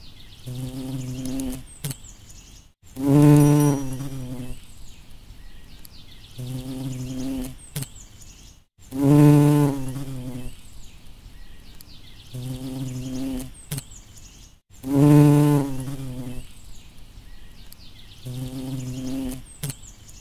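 A bumblebee's low, droning buzz swells loudly every few seconds, then fades back to a softer hum.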